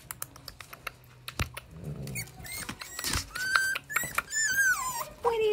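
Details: Fluffy Alaskan Klee Kai puppies indoors near a big bone, giving high thin whistled whines that slide up and down, with tapping clicks and a person speaking softly between them.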